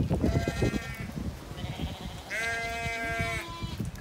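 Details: The last couple of Zwartbles lambs on a County Kilkenny farm in Ireland, following the flock to a new field, give two quavering, nasal bleats, one short and one longer, over steady low rumbling and rustling.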